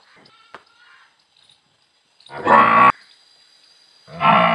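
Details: Two short, loud harmonic calls, each under a second, from a Murrah buffalo at Shree Shyam dairy farm, Parbatsar, on 16 December 2022, after a near-silent start with faint background sounds.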